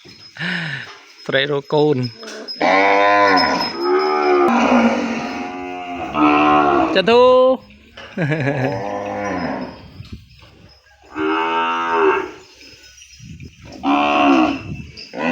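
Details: Separated cattle calling back and forth, calves crying for mothers and cows searching for calves: a long run of loud, strained moos, each one to two seconds long, repeated with short gaps throughout.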